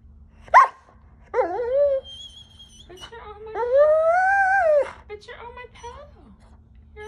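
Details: Bratty Giant Schnauzer mix dog sprawled on its owner's pillow, giving a short sharp yip, a brief grumbling whine, then a long arched moaning howl-like whine, with a person's voice and a faint steady tone in between.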